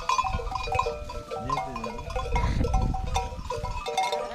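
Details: Akkaraman lambs, newly separated from their mothers, call for them on a farm: many overlapping wavering bleats sound together throughout, with low rumbling farmyard noise underneath.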